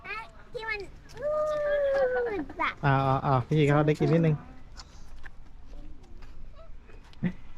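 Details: Baby camel being fed at Safari World gives loud, deep, buzzy groaning bellows in several drawn-out bursts, preceded by people talking and a child's voice, with chatter continuing quietly afterward.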